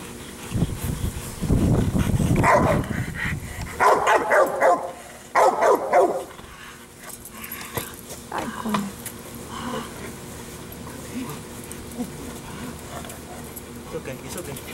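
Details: A Rottweiler gives deep, rough barks in quick bursts, worked up into aggressive agitation during training with an arm sleeve.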